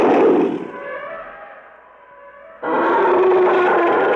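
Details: Elephants trumpeting angrily, recorded both close up and at a distance in a vintage recording: a loud, brassy trumpet fades away, then a second harsh blast bursts in and holds.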